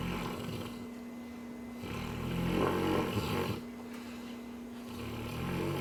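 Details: A Cane Corso dreaming while asleep, snoring in slow rasping breaths; the snore swells to its loudest in the middle, then fades under a steady low electrical hum indoors.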